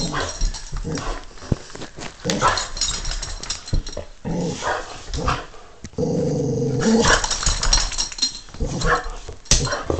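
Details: Stanley, a pet dog, growls in a playful show of toughness. Scattered rough rumbles give way to a steadier, tonal growl-whine in the second half, with bits of human voice and rustling nearby.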